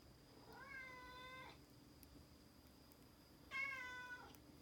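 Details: Norwegian Forest Cat being given medicine, giving two drawn-out, even-pitched, harmonic meows, each about a second long, separated by a two-second pause, over a faint steady background tone.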